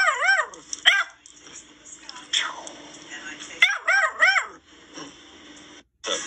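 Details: An 11-week-old female Basset Hound puppy, playing with her owner and learning to bark, gives high, rising-and-falling yelping barks in short bursts.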